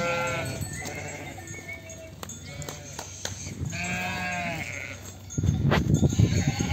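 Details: Lambs separated from ewes at a sheep farm bleat repeatedly in tremulous, harmonic calls, several voices overlapping, before a burst of louder rustling and handling noise with a man speaking Turkish at the end.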